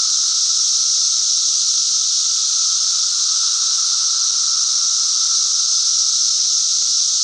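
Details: Cicada chorus heard as a loud, unvarying sizzling drone, high and dense, with a faint steady hum below and no pauses or background sounds.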